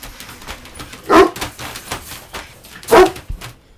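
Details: Golden Retriever barking at a balloon, recorded 14 August 2023; two short, loud barks about two seconds apart with quiet indoor background between.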